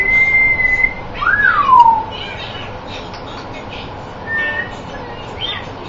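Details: Dog making a squeaky-toy-like noise: a thin high whistled squeak held level for about a second, then a short rising-then-falling squeal sliding down, followed by a few faint soft squeaks.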